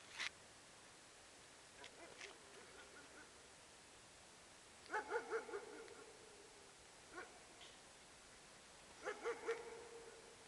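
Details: A young male French bulldog puppy gives short, soft yips and barks in small bursts, a couple at a time, with quiet gaps of several seconds between them.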